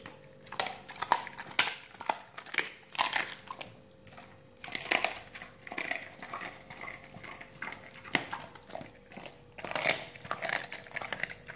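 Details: Dogs chewing raw meaty salmon bones and raw chicken carcasses in a small room. Dense, steady crunching and cracking of bone, bites coming in rapid bursts with brief pauses, loud and close.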